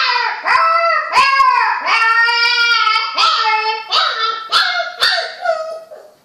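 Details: Puppies learning to howl give a loud, continuous, rich wailing that wavers up and down. Several voices seem to overlap, broken by sharp yips.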